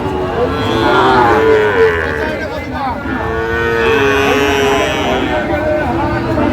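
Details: Sahiwal bull calf at Raniganj cattle market, Barisal farmer buying, 28 November 2024; several mooing bellows overlap one another amid a noisy crowd and talking voices.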